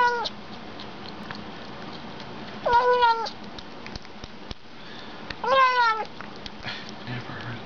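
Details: Myrra, a Bengal cat, calling while eating indoors; two strong harmonic meows about three seconds apart, each rising quickly then wavering and falling, with small chewing clicks and a low hum in the background.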